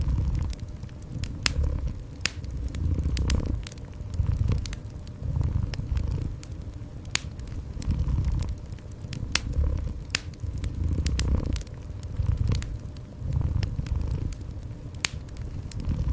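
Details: Cat purring indoors beside a fireplace; a low, rumbling purr swells and fades in repeated breaths about every two seconds beneath sharp, scattered crackles and snaps of burning wood.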